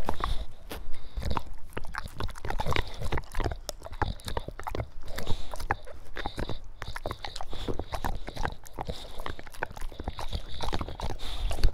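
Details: Dog grunting while eating wet food: dense, low, snorting grunts and wet smacking bursts packed closely together throughout, with most energy deep in the low range and scattered clicks above.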